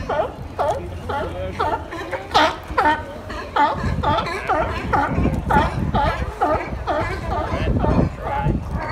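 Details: Sea lions at Pier 39 bark in a hoarse, rapid chorus, several calls overlapping about twice each second, as they battle.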